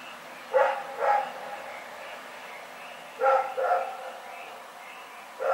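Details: Dog barking in the night, recorded 27 February 2018: barks in pairs, two near the start and two more after a pause, with faint background noise between them.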